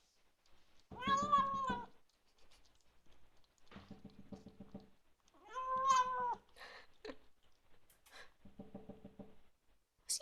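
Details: Bengal kitten making appreciative noises while eating dinner indoors: two drawn-out tonal meows with rich harmonics near one and six seconds, between softer low buzzy murmurs, and a brief final squeak.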